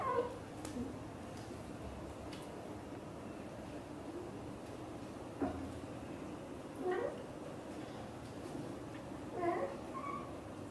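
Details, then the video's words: Xaxa, a blue golden British Shorthair mother cat, talking to her kitten Piano indoors: short soft chirping meows with harmonics at the start, then three brief chirrups spaced a few seconds apart over a quiet room hum. "The sound of the mother cat talking to her kittens is so sweet"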